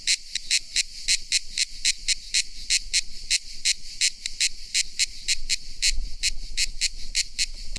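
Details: Shrill cicada buzzes come in short, bright bursts, a few per second, slightly uneven in spacing, over a quiet low background.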